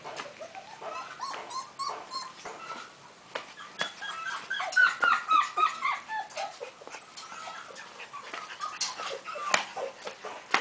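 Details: Golden retriever puppies, five weeks old, at a kennel, making overlapping squeaky whines and yips that rise and fall in pitch, with scattered clicks and knocks in an indoor space.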